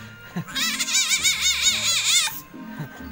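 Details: A civet in heat, usually a female, gives a high, wavering, laugh-like call of quick warbling notes, calling for a mate; it is sometimes heard at night.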